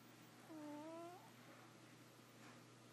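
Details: Bootsie, a pet cat, asleep and snoring: a single clear whistled tone rising gently and lasting under a second, with faint overtones, against a steady low hum in a quiet room.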